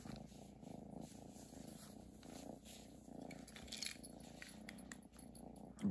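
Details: Cat purring over its Christmas present: a steady, low rumbling purr in even pulses throughout, with faint rustles and a small clatter near the end.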